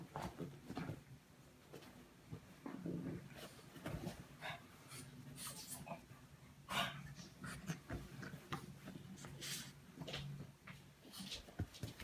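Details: Indoor French Bulldog sent to wake someone up gives steady snuffling, wheezy breaths and low grunts, rising and falling in rhythm, with brief rustling in the room.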